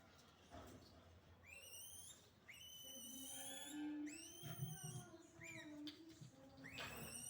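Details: Naughty monkeys in a rural village give high, tonal whistled calls with rising and flat harmonic bands, several overlapping in quick bursts, against a low steady hum and a faint lower voice-like tone.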